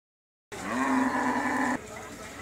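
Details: Cow at the Qurbani haat in Postogola, Balurmaat, one said to weigh 1000 kg, gives a single steady low moo of about one second that cuts off abruptly, with a faint market murmur behind it.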